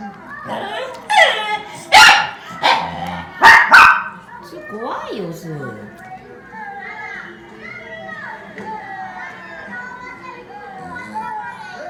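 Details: Angry Akita named Sue, who keeps snapping while another Akita, Ranpu, calmly ignores her. Several sharp, loud barks burst out in quick succession over the first four seconds, then quieter wavering voiced sounds continue indoors.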